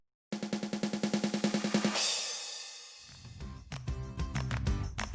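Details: A fast, regular snare drum roll opens, then fades into a short burst of mixed percussion and instrumental music; no animal voices are heard.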